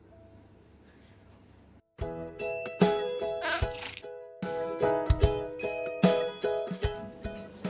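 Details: A quiet hum, then bright jingling music with chimes and percussive hits, with no animal voice heard.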